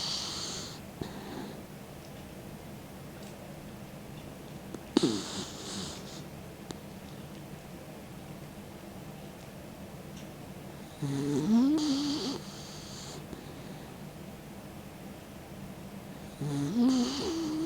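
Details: An old dog, 16-year-old Mick, snoring as he sleeps with tongue out: rasping snore bursts recur every few seconds, some with a wavering whistled note, separated by quiet indoor breathing.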